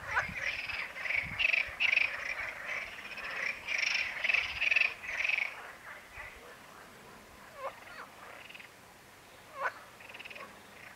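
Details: A marsh frog (Pelophylax ridibundus) calls with a loud, rapid, rattling croak made of quick pulses, like a chuckling laugh.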